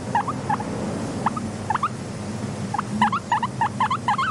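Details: Guinea pig, a content pet, giving short squeaky upswept wheeks in scattered bursts, several quick calls close together, over a low steady rumbling background hum.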